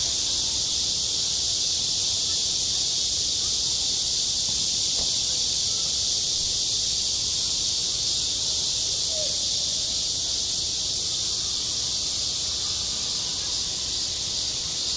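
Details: Cicadas singing through a hot summer day on a school playground: a loud, even, high hissing buzz filling the air, with a brief faint chirp midway.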